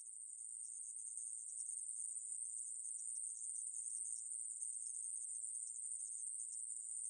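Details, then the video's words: A conehead katydid (Korean 애매부리) from a 2020 National Institute of Biological Resources recording, giving a steady, unbroken high buzz that holds one pitch throughout, with no other sounds. "애매부리, 여러번 듣기, 곤충소리"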